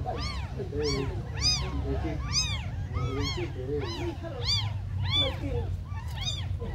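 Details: Tiny abandoned kittens mewing over and over, high arched cries that overlap as several kittens call at once, about one or two each second, with a steady low rumble underneath.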